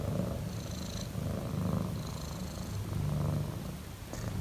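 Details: Loud purring from a relaxed house cat: continuous deep rumbling that rises and falls with each breath, roughly every second, with soft airy hiss on the inhales and a small click near the end.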